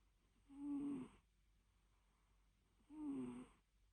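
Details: Small fluffy domestic cat napping indoors, giving two low, breathy, droning snore-like bursts about two and a half seconds apart. Each burst holds a steady hum with softer overtones, and quiet room tone fills the pauses.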